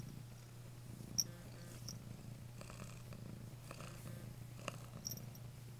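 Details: Pet cat giving a continuous, even low purr throughout, with a few faint clicks and rustles over it.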